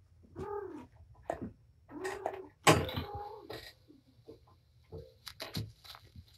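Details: Patience, a surrendered house cat and mother of five kittens, plays with her litter in a small indoor room; clear arched meows rise and fall, one after another, amid bumps and scrapes of rough play.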